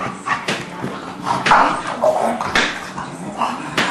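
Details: Rough play between an English Bulldog and a three-month-old English Mastiff pup called Forest, with short grumbling growls and snorts interrupted by scuffling sounds and faint human voices.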